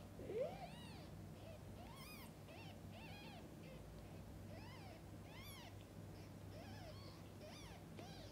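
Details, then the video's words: Mother cat feeding and bathing her kittens; a steady series of high, arched kitten mews repeats roughly every half second to second over a constant low hum, with one louder, sharper cry at the start. "Mother cat feeding & bathing kittens: sounds of pure love."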